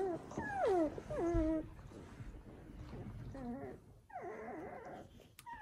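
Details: Newborn Samoyed puppies, a litter of seven from the female Joy, in a house; long, drawn-out wavering whines that fall and rise, loud at first, then quieter cries after a short pause.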